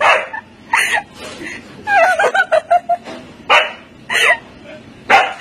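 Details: Siberian Husky barking and yelping in short bursts about once a second, with a quick run of high, wavering whines in the middle, close to the microphone.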